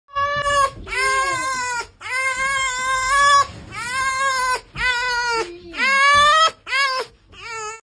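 A fox gives long, tonal wailing cries, eerily like a crying baby.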